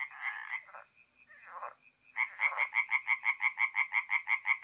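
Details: Tree frogs singing at night at a forest pond in mid-April in north-east Italy; after a few scattered croaks, a rapid run of loud, evenly spaced nasal pulses follows, about three per second, in a clear, quiet background.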